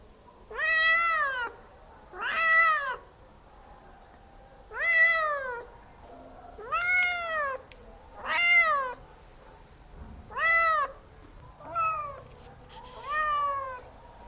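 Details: Domestic cat meowing loudly indoors: eight clear, drawn-out meows, each rising then falling, spaced about every one to two seconds, with the last ones shorter and slightly wavering. The background is quiet.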